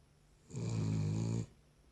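A Cavalier King Charles Spaniel snores with one low, rumbling breath lasting about a second.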